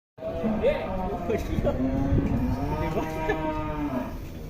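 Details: Giant fat cow lowing in a barn, a drawn-out low moo with rich harmonics, overlapping calls and steady background noise throughout.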